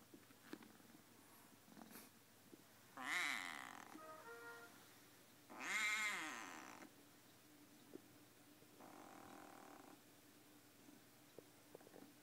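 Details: Siamese kitten making strange noises: two loud, drawn-out wavering yowls around three and six seconds, a short tonal chirp between them, and a fainter breathy call near nine seconds, with light clicks and rustling.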